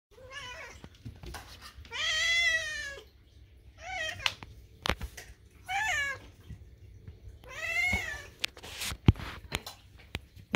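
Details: Hungry pet kitten at food time, loudly screaming with long, wavering, drawn-out meows about every two seconds, five calls in all, indoors, with faint background music and a woman talking softly.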